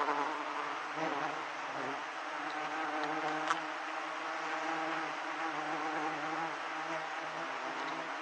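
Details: Giant honey bees swarming around a hive being harvested for honey, fifth-month honey season: a dense, steady droning hum with layered low tones, continuous throughout, with a few faint clicks and knocks.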